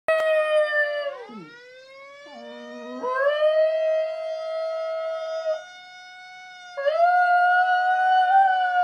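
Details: Pet schnauzer howling along with a fire siren: wavering, sliding howls with a sharp drop near the start, then long sustained tones, over the steady, slowly falling drone of the siren.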